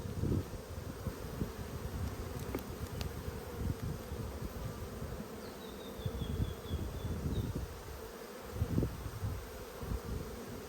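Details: Strong honey bee colony in Australia during a dearth, inspected on 5 February 2022 while brood frames with eggs and larvae are examined; a continuous low buzzing drone, occasional frame clicks, and a faint distant whistle midway.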